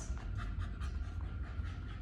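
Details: A 10-month-old Australian Shepherd pants during a training session in Fredericksburg, Virginia: a steady, low, breathy rasp with soft rhythmic pulses for two seconds. A person says "please" nearby.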